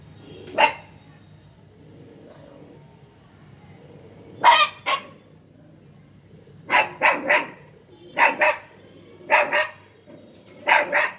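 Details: A 50-day-old Siberian husky puppy gives sharp, harsh barks, often in quick pairs or triplets.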